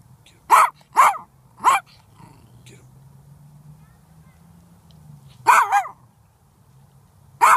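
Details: A Silky Terrier barking ferociously: three quick sharp barks, a pause with a low rumbling growl, then a double bark and one more bark at the end.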